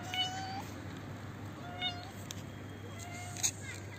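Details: Old, hungry stray cat with no teeth, living in a neighbourhood front yard, calls while being fed from a roof: three drawn-out harmonic meows at about 0.1, 1.8 and 3.1 seconds over steady low hum and faint outdoor background.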